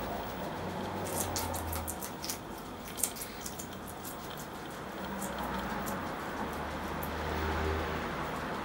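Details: Pair of guinea pigs, Poopie (agouti) and Nacho (white and brown), dining on red pepper: a quick run of crunching bites early on, then sparse single crunches against a low droning background.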